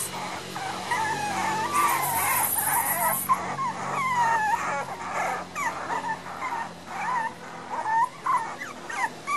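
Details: Miniature Pinscher puppies aged 1 month 11 days, born 6 November 2014, in Los Teques, Venezuela; continuous high, wavering whimpers and squeaky cries from several pups, rising and falling throughout, over steady room hiss.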